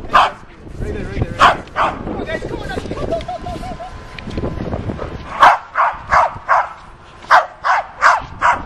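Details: Trained dog performing to spoken commands: talking at first, then a run of seven or eight short, punchy barks spaced roughly every half second.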